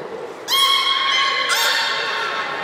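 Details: Young belugas of the children's team at Port of Nagoya Public Aquarium, 5 November 2017, during play time while moving between pools: two long, harmonic-rich squealing whistles, the second starting a second after the first, echoing in a large hall.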